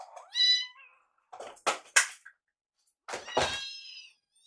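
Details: Two foster kittens, Yuki and Piyo, follow their caretaker around the kitchen begging for warmed wet food indoors. One rising, harmonic meow opens, then a few sharp taps and clicks, then a second, longer meow that trails downward.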